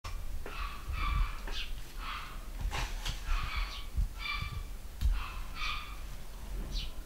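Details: Home-bred litter of pedigree Basset Hound puppies in the UK, born 2015. Short, high whimpering squeaks with clear overtones repeat about once a second, over low thumps and rustling from handling.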